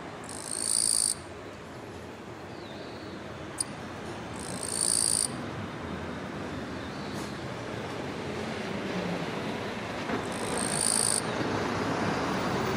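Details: A male Eastern-Japanese katydid (Gampsocleis mikado) sings a raspy "giiiiii…chong" courtship song, one-second buzzy bursts every few seconds, scraping forewings on a daylily bud amid silver grass by a railway, sunny late morning, late July 2022.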